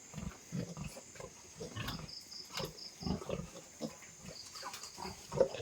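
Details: Newborn piglets grunting softly beside a farrowing sow on a pig farm: low, short grunts about twice a second, gentle and steady, with a constant high electrical hum behind.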